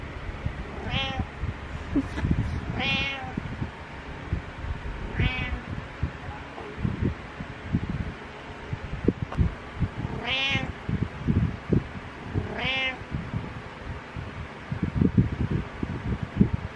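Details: Butters the pet cat meowing repeatedly in the morning, five harmonic meows spaced two to three seconds apart, mixed with rustling, bumps and low indoor hum.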